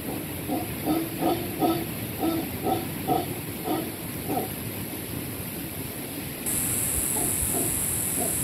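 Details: At a beachfront rainforest cabana on the Caribbean coast of Panama, howler monkeys give a run of low, hoarse grunting pulses for about six seconds, then fall quiet under a constant high-pitched hiss.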